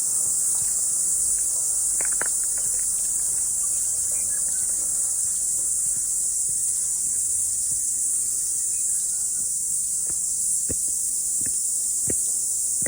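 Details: Chorus of cicadas after rain during a morning walk to a mountaintop: an unbroken high, hissing whine holding steady throughout, with scattered footfalls and rustling.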